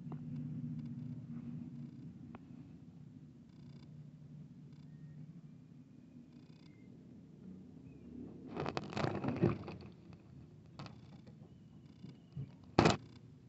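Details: Kitten at play with a larger adult cat; a low continuous purr fills the first eight seconds, then gives way to rustling and knocking handling noises with a sharp click near the end.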